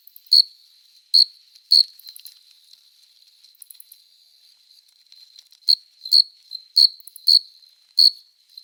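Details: Male cricket stridulating in summer to attract a female, forewings rubbed together at night: sharp high chirps in irregular bursts, a pause of several seconds, then quicker chirps again, over a faint constant trill.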